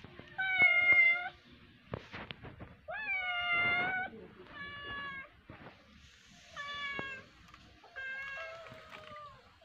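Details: A cat plays with a fish and meows over and over, five or six clear, drawn-out, slightly wavering cries spaced a second or two apart, with scattered taps and clicks between them.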